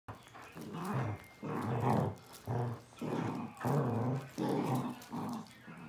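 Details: Corgi puppy playing with a basset hound, two dogs together: rough growling and grumbling play vocalisations in bursts of about half a second to a second, repeated roughly every second, with short gaps between.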